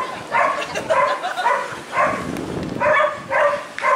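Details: Rufus, a Hokkaido dog shown at a dog show on 1 September 2019, barking in quick bursts of two or three loud, mid-pitched barks separated by short pauses, with hall chatter faint underneath.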